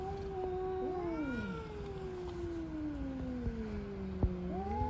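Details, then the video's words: Stray cats fighting outdoors, with two overlapping drawn-out yowls, one gliding slowly downward in pitch while another rises and falls, continuous and moaning throughout, against a steady low hum. "Cats Fighting by making strange noises."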